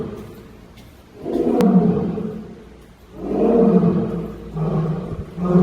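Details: Lion at Gimhae Bugyeong Zoo, South Korea: deep, drawn-out groaning roars, two long swelling bursts about two seconds apart followed by a shorter third, low and rumbling with no high tones.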